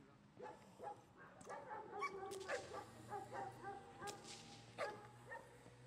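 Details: Giant Schnauzer Gyn-Yuu of Tenuta de Benedictis barking during protection work training, a string of short harsh barks spaced irregularly across the clip, with faint background noise.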